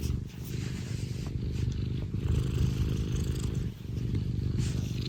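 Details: Scottish Fold cat, a pet described as affectionate and always happy, purring loudly up close indoors: a steady, rumbling low purr with a rhythmic pulse throughout, briefly dipping near the end, with faint rustling.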